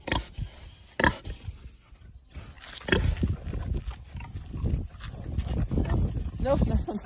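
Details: Several angry pigs chasing a person for oranges give low, rough grunts in irregular bursts, mixed with a man's voice repeatedly saying "no" and outdoor noise.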